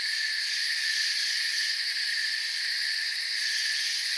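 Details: Steady nocturnal chorus of crickets in a forest: constant shrill chirping stacked in high bands, never pausing, level and even from start to end.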